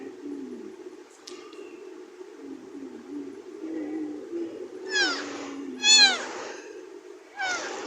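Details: Cat meowing, short downward-sweeping meows in a cluster near five and six seconds and again at seven and a half, over a steady low hum with faint earlier chirps.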